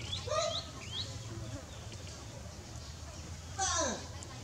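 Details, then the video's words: Baby monkey Dewdew crying loudly for its mother while she is busy working: two bursts of shrill, sweeping screams that slide downward, one at the start and one near the end, over a steady low hum. "Shout Out Loudly Baby Dewdew Call For Mom - Mommy Busy Do Work - Dew Cry So Pity"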